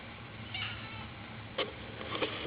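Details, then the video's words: A crying ginger kitten gives a short, high meow, followed by scattered clicks and knocks against a hissy background. "Kitten crying and making meow noises!"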